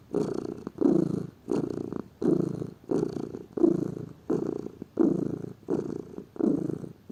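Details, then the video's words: Close, steady purring of a lazy domestic cat: a low buzzing rumble repeating in regular breath-linked pulses, around ten in a row, with no other sounds. "Gato Ronronando, Som de Gato, Ronronar de gatos"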